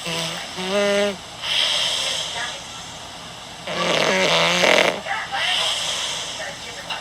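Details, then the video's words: Puss Puss, a 13-year-old black cat, snoring while asleep: broad breathy rasping bursts on each breath, one near the start and a longer one around four seconds, with harmonic voiced tones mixed in and a constant background hum. "For those who question the cat snores"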